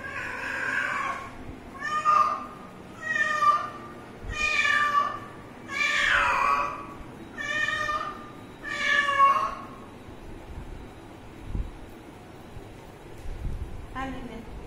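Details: Kitten, filmed around drinking water, giving a run of about seven clear, harmonic meows spaced roughly one to two seconds apart over ten seconds, some rising then falling, followed by quiet and one faint final mew.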